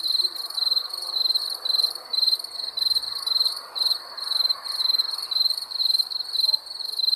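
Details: Chirping crickets after dark: high, thin pulsed trills in short bursts repeating about every half second, over soft broadband background noise and a brief faint low thump.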